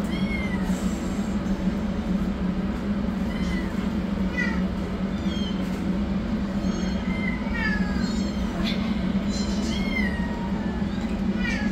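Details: High-pitched kitten meows, rescued yellow kitten running for food while a black kitten begins treatment; short rising-falling cries come every second or so, some quick and stacked, above a constant low droning hum.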